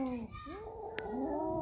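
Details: Cats Kaallu and Motu guarding a big mouse they caught; a steady low harmonic yowl, briefly broken, then rising and drawn out again.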